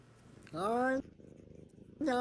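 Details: Cat giving two drawn-out meows, the first about half a second long and slightly rising, the second starting at the end, with soft purring between them indoors.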